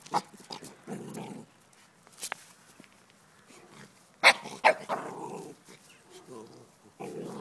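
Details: Four-month-old Welsh Terrier puppy meeting game, a wild boar leg, for the first time, giving low rough growling bursts around a second long between sharp clicks and knocks, with a human voice heard briefly.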